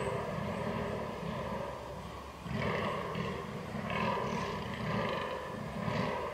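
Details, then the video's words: Rutting fallow deer on 22.10.2022, captured on a Canon R6: low, throaty grunting groans in a rhythmic run, louder bursts after a brief pause, over a constant low hum. "DAŇČÍ ŘÍJE / FALLOW DEER RUT"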